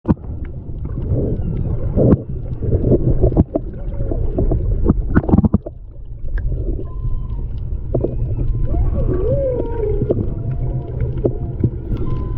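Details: Humpback whale song recorded underwater by a snorkeler's GoPro off Maui, Hawaii, in February 2020: low moans and rising, wavering tonal units over a deep rumbling undersea background.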